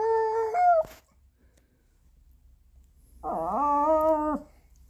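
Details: Pomeranian dog howling indoors after its owner leaves home, like a wolf: a short wavering whine that bends downward, a pause, then a long, steady, tonal howl holding its pitch for about a second.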